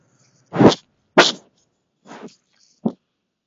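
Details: A white-tailed deer in the woods investigates a trail camera, sniffing close by in short, breathy, noisy puffs of air.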